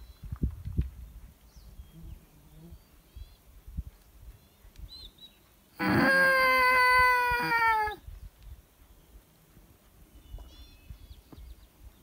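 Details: Wolf from a pack being called in near a high mountain lake, about 50 yards out and approaching: one steady, level howl lasting about two seconds, rich in harmonics and dropping slightly at the end, with faint bird chirps and rustling around it.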